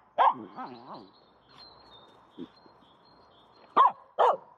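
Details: Aamu, a female dog, plays with a stick in an empty horse pen. She gives a single sharp bark, then a quiet pause with a person's voice, then two more abrupt barks near the end.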